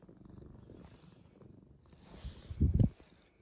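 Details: Quiet, gentle pet cat, a male rescued as a collapsed kitten in late spring 2015, purring softly in a low pulsing rumble that swells into a louder, close burst of snuffly breaths near the end.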